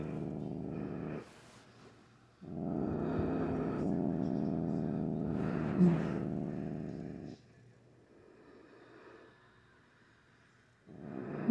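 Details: A normally calm pet cat grumbles during an evening nail-clipping session. She gives a sustained, throaty growl lasting about five seconds, with a fainter rumbling growl returning afterwards. The owner's voice is briefly audible around it.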